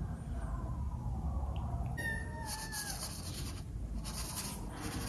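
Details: Tiny female kitten, seeing a big fish in a dish and wanting to eat it, gives a drawn-out, slightly falling meow lasting over a second. Hissy bursts of noise and a low indoor rumble sound around it.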